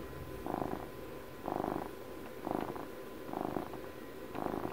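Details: Close-up purr of a pet cat turning twelve: a buzzy, throbbing drone that rises and fades in five breath-timed swells roughly a second apart, with soft low rumbling between them.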